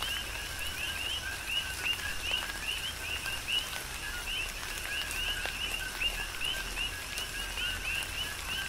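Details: Coqui frogs in a rhythmic chorus during a tropical rain shower on the Big Island of Hawaii: overlapping two-note calls, a lower note then a rising chirp, repeated steadily over soft patter of raindrops.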